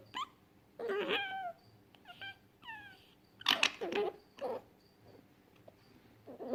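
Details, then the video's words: Fennec fox uttering a lively mix of quick falling chirps, whiny yelps and scratchy squeaks in irregular bursts, some sliding downward in pitch, in a quiet indoor-sounding setting. "FENNEC FOX SOUND EFFECT 사막여우 울음소리"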